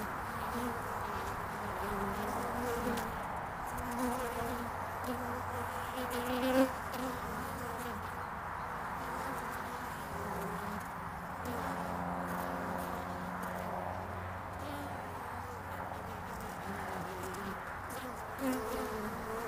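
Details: Early spring hive traffic of honeybees on a landing board, recorded 22 February 2019: many bees buzzing in a continuous droning hum, individual fliers swelling briefly louder as they pass close, with a low steady undertone.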